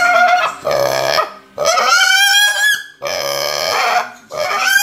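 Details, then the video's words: Hungry pet piglet: loud, drawn-out, nasal squeals of about a second each, three in a row with short gaps between, rising and wavering in pitch with a harsh, rasping edge. "My Hungry Piglet"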